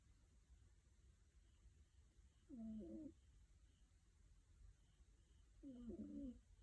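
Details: Sleeping five-month-old female kitten snoring softly: two faint, low, rough breaths a few seconds apart in a quiet room.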